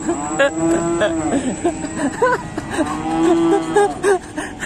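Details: Agitated cattle kept in a pen, called fierce, lowing in broken, wavering moos that rise and dip several times, with background music and faint voices.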